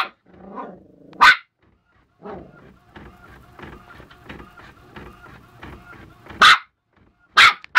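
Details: Westie puppy confronting a printer while its owner works; a single sharp bark, then steady rhythmic printer chattering for several seconds, followed by more loud barks.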